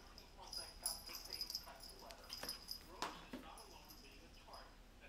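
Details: Three-month-old Shih Tzu puppy barking at crocs: a few short, sharp yips stand out between stretches of a person talking, with a faint steady high-pitched tone running underneath.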